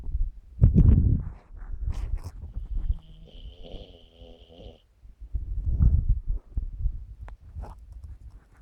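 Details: Bos, a dog, sleeps, worn out, in a 2017 recording; two deep, rough, low snoring breaths come about five seconds apart, with a thin steady whistling tone and soft rustling between them.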